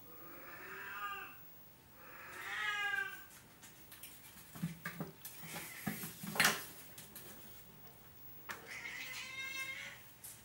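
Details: Oriental cat meowing in long, arched, tonal calls: two at the start and another near the end, with scattered clicks, knocks and rustling between them.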